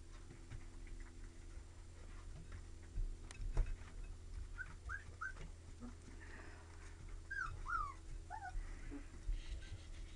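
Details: Puppies of a Lab and Retriever mix, described as energetic and loving, give soft high whimpers and short yips in a quiet room, several thin rising-falling squeaks clustered in the second half over a low steady hum.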